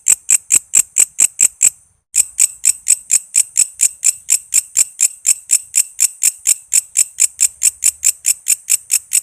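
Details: Walang kece cicada song, played to tutor songbirds like murai, lovebird and kacer: crisp high buzzy clicks in an even train of roughly four per second, broken by a brief silence near the start, then resuming unchanged.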